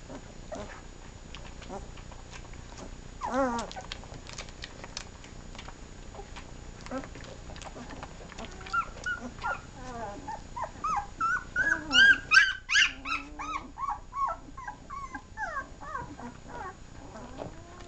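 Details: Puppies seven days old, nursing; rapid, fairly regular series of high, bending whines and squeals that swell into a loud, crowded chorus of several pups in the second half, with soft rustling beneath.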